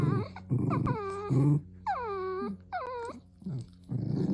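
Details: Wiener dog vocalizing: a run of arching, high-pitched whimpers that rise and fall, mixed with short low growls at the start and end of the sequence.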